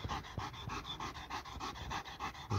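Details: A dog, worn out after chasing a laser pointer during a walk, pants hard and fast: steady breathy pulses at roughly five per second, each a soft airy rush, with no barking and no other clear sounds.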